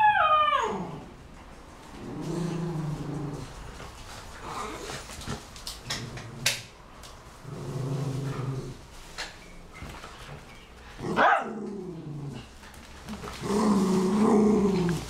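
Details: Male miniature schnauzer holding his favourite big ball in his mouth and running around with it; muffled, low whining and grumbling bursts of a few seconds each, rising and falling, with quiet handling noise between.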